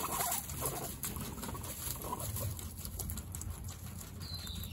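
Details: Guinea pig brothers in a dominance fight give a deep, continuous purring rumble, pulsing quickly, with scattered soft clicks and rustling over a faint steady high hum.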